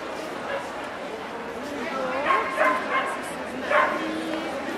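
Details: Welsh Corgi at the NVP Ostrava dog show, 14 April 2012, indoors: a few sharp barks spaced under a second apart around the middle, over steady crowd chatter and speech filling the hall.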